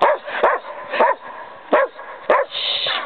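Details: Kerry Blue Terrier outdoors in snow, playing with a second terrier; four loud, harsh barks at uneven intervals of about half a second to a second, each sharp and arched, ending in a softer hiss of noise.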